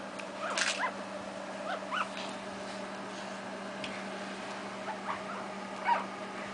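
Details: Seven three-week-old Shih Tzu puppies in a litter give soft, high whimpers and squeaks in short scattered bursts over a steady hum.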